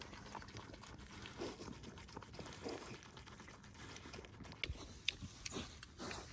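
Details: Two piglets grunt softly amid wet chewing, smacking and slurping sounds as they eat treats.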